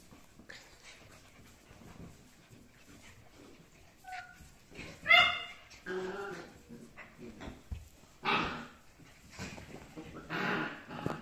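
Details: Rough Collie puppies, 7.5 weeks old: brief high whimpers near the four-second mark, then a sharp rising squeal and several short yelps, with scuffling and rustling noises between calls.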